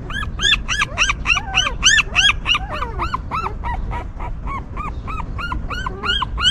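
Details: Loud squeaky whimpering from a stray mother dog's newborn puppies: strong arched cries about three per second, a few sliding lower whines, a brief lull around the middle, then the series resumes.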